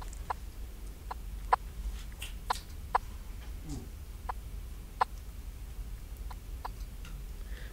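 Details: Common eastern froglet (Crinia signifera) calls: short, sharp, cricket-like clicks repeated at uneven intervals, a call often likened to crickets or insects.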